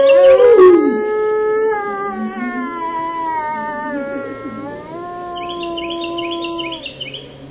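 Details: A gray wolf, reacting to other wolves howling, gives long, steady howls, holding one pitch and then dropping slightly lower.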